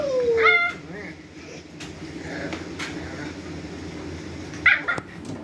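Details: A pug howling like a wolf, apparently wanting towels shut away, gives a brief, falling howl, then a sharp, high yip near the end.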